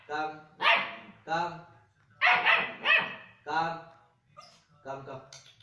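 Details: German Shepherd puppy barking steadily, loud harsh barks alternating with softer whining tonal ones roughly every half second, ending in quieter yelps.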